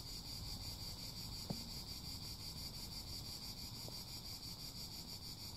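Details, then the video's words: A continuous high, grainy cicada drone that never breaks, layered over a deep rumbling background, with one sharp knock early on and a fainter tap later. "CHANT CIGALES - CICADAS"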